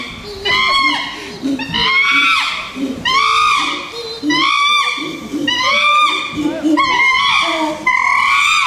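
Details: A chimpanzee (Pan troglodytes) gives loud, harsh, arching screams in quick succession as an aggressive threat display.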